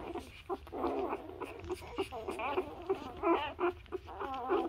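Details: Nursing newborn Labrador puppies keep up a nearly continuous chorus of thin, quavering whimpers and squeals, short rising-and-falling cries tumbling over each other, with faint shuffling underneath.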